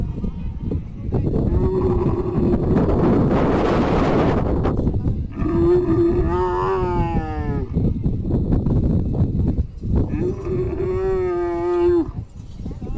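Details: Camel being loaded onto a vehicle at a livestock market for Bakra Eid sacrifice; loud drawn-out groaning bellows with rough harmonics, three long calls separated by short pauses, amid crowd noise and handling sounds.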